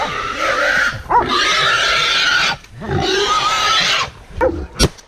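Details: Wild boar facing hunting dogs gives two long, harsh, screaming squeals of about a second and a half each, noisy with wavering tonal bands, followed by brief sharp sounds near the end.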